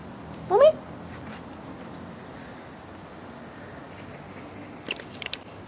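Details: Two cats, Fengfeng and Huangxiaomi, walked in a Beijing garden in the early morning of August 13th, 2013; one brief rising, tonal meow-like cry near the start, then a long quiet stretch ending with a few faint clicks.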